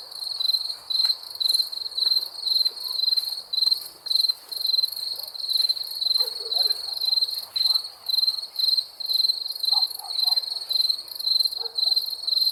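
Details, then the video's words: Crickets calling at night with evenly spaced shrill pulses about once per second, over a thin high-pitched background drone and a few soft scattered sounds. "Crickets chirping sounds"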